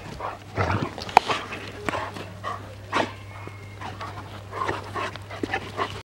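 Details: Livestock guardian dogs, a Tornjak (Bosnian-Croatian sheepdog) named Hattori Hanzo and a Bucovina shepherd named Leksi, giving short low barks and huffs at irregular intervals over a steady low hum, with scattered clicks and rustling.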